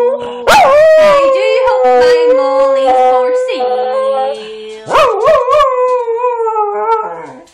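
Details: A pet dog singing her heart out, giving long drawn-out howls with wavering pitch that slide and dip, a loud rising yelp near the start and another surge near five seconds, with brief human voice sounds.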